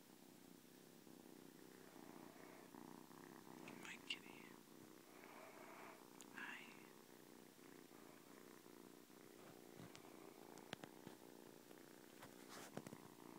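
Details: Ari, a newly adopted seven-week-old male stray kitten found alone in a garage, purring on his first morning indoors in a new home; a steady low continuous rumble runs throughout beneath soft whispered human speech and occasional clicks.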